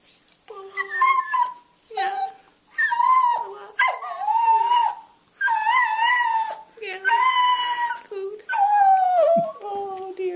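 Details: Indoor male beagle giving his cultivated "yodel-woe", a sad plea for food: drawn-out wavering yodelled howls, each rising then sliding down, about eight phrases with short pauses, owner talking sympathetically.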